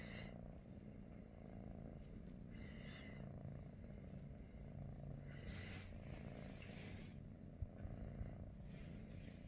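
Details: British Shorthair cat in the morning, from a household of Pikachu, Teddy and their niece Rosie, purring steadily in a low rumble, with breathy swells every couple of seconds and faint rustling nearby.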